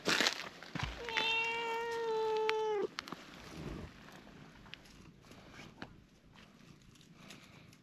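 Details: Cream cat that likes face petting and kicks when its body is handled lets out one loud, steady, sustained meow of about two seconds, followed by quiet rustling and faint clicks.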